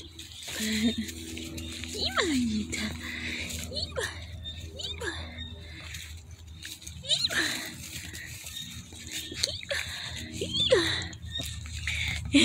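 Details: German Shepherd puppies whining: thin, high cries that slide downward, coming in scattered bursts across the stretch, with a person's voice talking over them and a steady low hum indoors.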